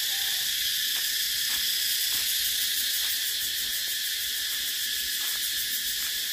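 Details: A dense, unbroken shrill drone of cicadas, bright and even in loudness, with a slight rapid pulsing texture and a few soft knocks in the background.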